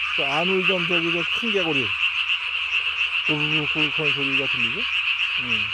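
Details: Nighttime Japanese tree frog with its throat sac fully ballooned, filmed 3 May 2020: clustered rasping croaks in quick succession, a short break, then more, over an unbroken high ringing chorus.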